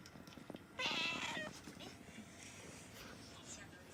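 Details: Pet cat with a funny-sounding voice letting out one harsh, breathy, strained meow lasting under a second, followed by quiet indoor room noise with faint human murmuring.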